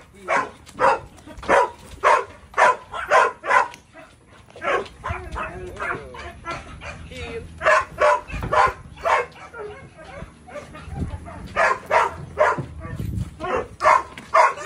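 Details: Belgian Malinois called Psycho giving rapid repeated barks, roughly two per second in runs, with a quieter stretch in the middle where a person's voice and low background noise come through.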